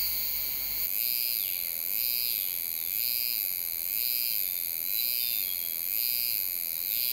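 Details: Euterpnosia laii cicada in July at Alishan, Taiwan, sings a high, shimmering buzz that swells and dips about once every second.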